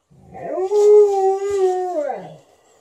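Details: A 13-year-old Golden Retriever gives a long, smooth howl that rises, holds steady, then slides down, vocally demanding more petting while a Malamute objects.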